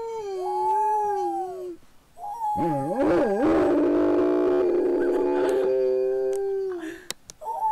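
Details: Gracie the pet dog holds a long mournful howl with a wobbling start, settling into a steady tone for several seconds before fading, then briefly resuming.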